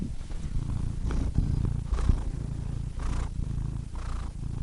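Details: Purring cat producing a rough, low vibrating rumble, swelling and easing with each breath, light breathy hiss about once a second.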